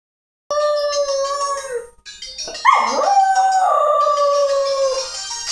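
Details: Shetland Sheepdog howling in long sustained, slightly wavering tones, with a brief break and then a louder rising-and-falling howl that holds steady again; bright tonal music-like sounds run alongside the howling.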